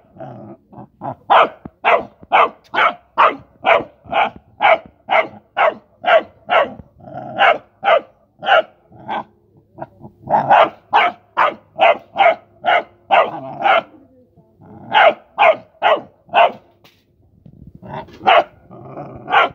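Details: A Rottweiler puppy barks in quick, repeated bursts, about two barks per second, while playing with mice.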